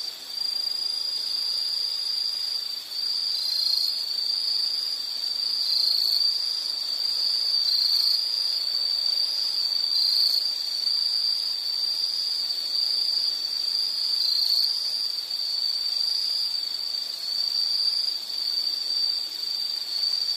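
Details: Continuous high insect trilling that runs almost unbroken for twenty seconds, with several overlapping shrill voices at slightly different pitches and a faint hum of background noise.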